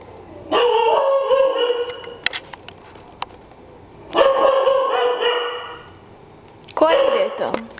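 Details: Dobermann showing guard dog instinct without any training: three long, steady, harmonic howling cries of one to one and a half seconds each, spaced a few seconds apart, with faint clicks between.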